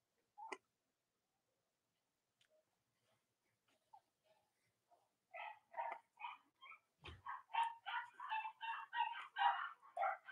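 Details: Cavalier King Charles Spaniel puppies, litters of mothers Robin and Myra, on a chilly Monday morning: faint ticks and clicks give way to a rising series of quick, high-pitched puppy whines and squeals, repeated about twice a second.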